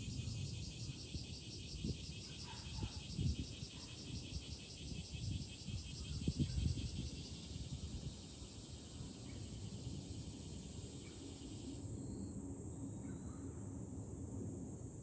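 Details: Cicadas singing in July, heard from a hilltop overlooking Fukuoka city, Japan: a steady, shrill, high-pitched drone with a fine pulsing texture that thins near the end, over low, gusty wind rumble and a few faint ringing tones.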